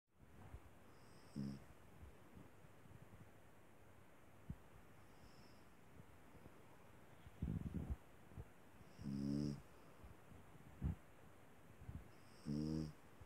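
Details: Small dog snoring softly, four short harmonic snores spaced unevenly over the stretch, each about half a second, with a faint high whistle riding on them; quiet room hiss between.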